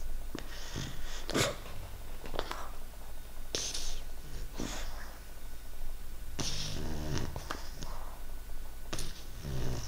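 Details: A female English Bulldog puppy, sick with a cold and runny nose, snores with deep, rumbling breaths broken by wet snorts and sniffles.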